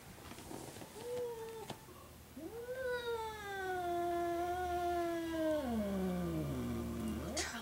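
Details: Indoor first meeting of Charlie, a six-year-old cat, and Jinx, a ten-month-old kitten: a short rising meow, then a long drawn-out yowl that holds steady before sliding downward, with faint human voices and room noise.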